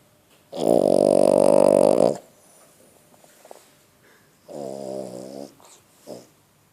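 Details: Female French Bulldog, 11 months old, snoring while asleep: one long, loud, rasping buzz, a shorter buzzy snore a few seconds later, then a brief snort.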